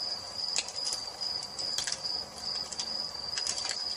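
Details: Crickets in an evening nature ambience beside a fireplace: a continuous thin, high-pitched ringing tone, swelling in brighter pulsed bursts about every second or so, over a soft low background.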